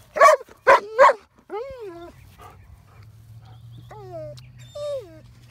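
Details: Pet dog barking at a horse, three loud barks in quick succession followed by drawn-out rising and falling whines, with a steady low hum underneath.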